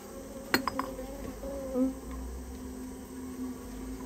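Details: Japanese honey bees from a wild colony nesting inside a storehouse, during removal of the nest: a steady low hum with overtones, a cluster of sharp clicks near the start and a brief louder buzz midway.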